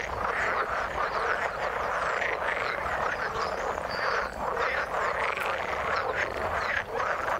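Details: Dense chorus of frogs in the water, a steady throbbing wall of overlapping raspy croaks with little variation and occasional brief higher chirps cutting through.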